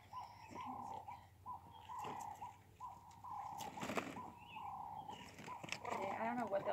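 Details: Meerkats kept at Cheetah Experience enjoying a ball pool enrichment give repeated even, mid-pitched calls of about half a second each, close together, with rustling and a person's voice rising near the end.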